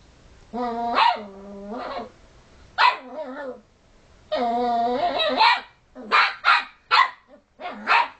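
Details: Pet puppy bothering sleepy housemate dogs gives drawn-out harmonic whining moans, some over a second long, followed by a volley of short bright barks spaced about half a second apart.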